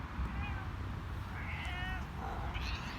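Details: Male cat in heat giving a series of thin, wavering meows, some rising, others drawn out with a tremble, against a constant low hum.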